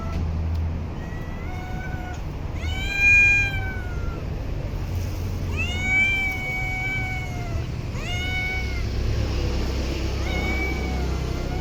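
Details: Stray cat in parks and streets calling with a run of loud, arching meows, some long and some clipped, spaced a second or two apart, over a constant low hum of city traffic.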